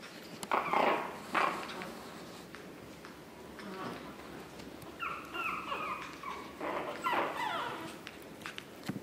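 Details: Two sharp, noisy yelps from Chihuahua puppies, 9 April 2016, followed after a pause by a rapid series of high falling squeaks and whimpers, some overlapping, from more than one pup.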